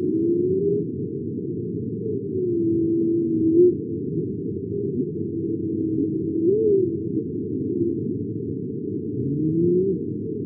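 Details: Humpback whale (Megaptera novaeangliae), vocalization.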